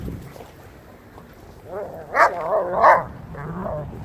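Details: Young dogs playing in a yard, including 8-month-old Lycan Shepherd Ulu and Renascence Bulldogge Ogryn with Blue Bay Shepherd Kurgan and German Shepherd Lobo, give a short cluster of rough, gruff growling barks mid-clip over quiet background murmur.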